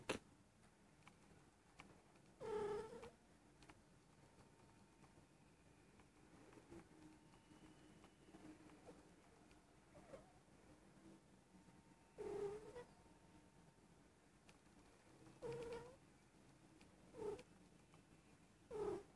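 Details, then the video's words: A female Persian cat nearly a year old, in heat and rolling over, gives short, nasal meows indoors. About five brief calls come at irregular gaps, with quiet room hiss between them. "Persian cat in heat"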